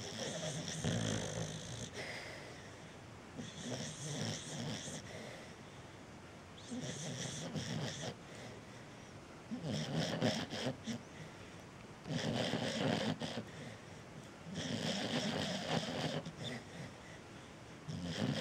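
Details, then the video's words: A sleeping cocker spaniel snores in rough, raspy breaths that rise and fall every few seconds, while a cat sleeps in the background. "Happy - The snoring cocker spaniel"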